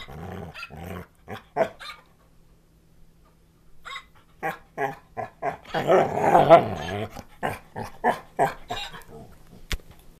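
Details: Pet dog talking back while gently playing with a puppet toy he has had since he was little: bursts of low growly, grumbling vocal sounds and yips in irregular runs, a loud rumbling stretch midway, pauses between bursts.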